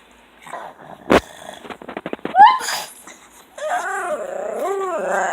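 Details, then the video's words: Two pugs, one fawn and the most talkative, greeting their owner home from work in a dim hallway: quick snorts and rasping grunts, then long wavering yodel-like whines rising and falling almost like human talk. "Funny Sounds That Pug Dogs Make!"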